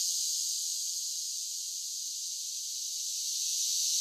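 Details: Summer cicadas: a steady, high-pitched buzzing drone that holds unbroken and even throughout, fairly quiet, with no other animals, voices or background sounds.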